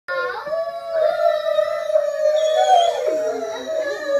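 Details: Pet dog howling along with people: a long, steady, wavering tone held for about three seconds, then sliding downward into a shorter dip, with human voices joining in.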